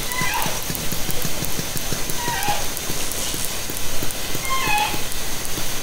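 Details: Orca calls picked up by hydrophone in Haro Strait from a kayak during summer 2010: faint tonal squeals, some sliding downward, at intervals among steady ticking and hissing underwater noise.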